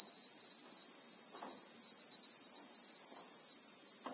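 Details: Christmas beetle (Anoplognathus) chorus in South African acacia bushveld, heard in real time as an unvarying high, piercing buzz, with scattered faint soft ticks behind it.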